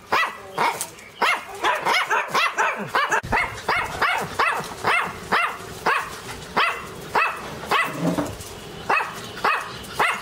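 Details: Rapid, excited barking from Teco, a Pinscher, loud and high-pitched, the barks tumbling quickly at first and then spacing out to about one every half second.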